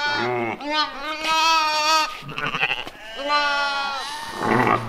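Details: On a farm in October 2020, West African dwarf goats bleat twice in drawn-out, trembling cries. Rustling and scuffling noises come between and after the calls.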